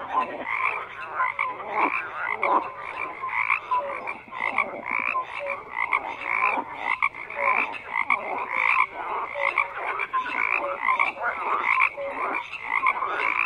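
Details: Many frogs croaking together in a dense, unbroken chorus: rough, buzzy croaks overlap with short, clear mid-pitched notes, and the loudness pulses unevenly throughout without a pause.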